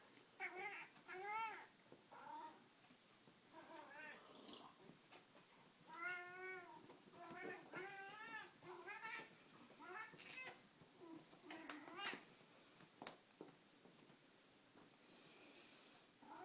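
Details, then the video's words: Male pet cat getting intense while playing with a string toy indoors, giving a run of harmonic, drawn-out yowls and meows, some rising then falling, spaced irregularly across the recording with quieter gaps and faint room noise. "Cat yelling at cat toy"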